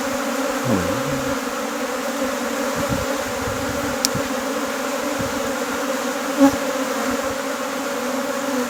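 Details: During the splitting of a beehive in Nepal, many honey bees give a steady, low droning hum throughout, with a couple of brief sharp taps partway through.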